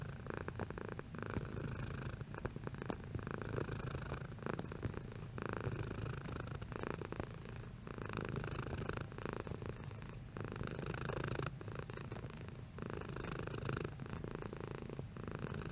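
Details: Domestic cat purring at varying intensity: a continuous low rumbling drone with steady pulsing, broken by brief soft pauses for breath roughly every second or so throughout.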